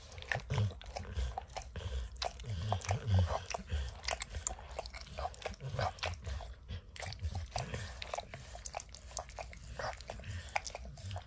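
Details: A dog named Max, who loves to lick, works peanut butter and kibble out of an orange mat in a small room. Steady wet laps and chewing crunches repeat at an uneven pace, close up, without speech.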